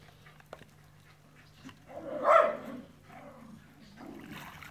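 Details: Dog, one of the pair Enzo and Ozzy, lets out a single short, strained bark-like yelp midway through, rising and falling quickly. Faint shuffling and a steady low hum are in the background.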